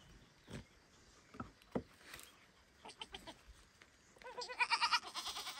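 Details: Kid goat loudly calling for its mother near a barn: after a few knocks and rustles, a long, quavering, nasal bleat with a rapid tremble runs for over a second at the end.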